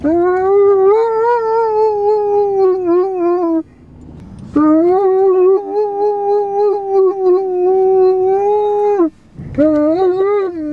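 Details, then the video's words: Liam the Irish Wolfhound sings in long, loud howls, each held several seconds with gentle wavers and a slight fall at the end, separated by short breathy pauses. "Liam the singing Irish Wolfhound"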